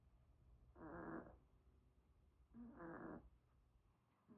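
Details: Sleeping Pomeranian dog snoring: two rough, raspy breaths about two seconds apart, each lasting under a second, with a soft low rumble between them in a quiet room.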